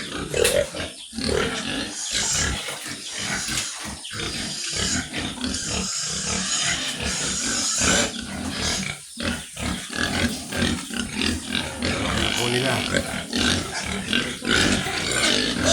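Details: Penned farm sows awaiting artificial insemination make a long run of coarse grunts, snorts and rasping squeals, loud and irregular, over constant barn noise with clattering in the pens.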